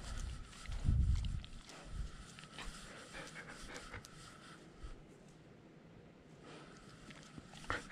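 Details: Nala, a German Shepherd service dog alone at home, recorded by a GoPro camera strapped to her; soft rapid panting under heavy low thumps and rubbing from her movement, loudest near the start.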